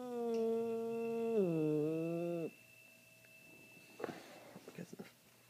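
A Bengal cat gives a long, steady, drawn-out call that wavers and dips before breaking off.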